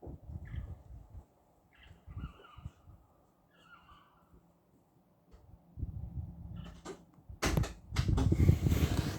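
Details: Foxes give several short, wavering, harmonic cries over low rumbling background noise.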